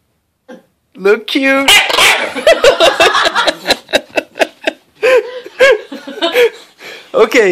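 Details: Ten-month-old female English bulldog whines in funny, high, arching nasal tones, mixed with people talking in French.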